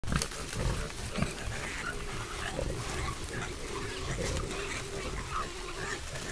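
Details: Wild boars in a herd in a spring forest, caught on a trail camera, grunting in low, rough snorts against a steady background hiss.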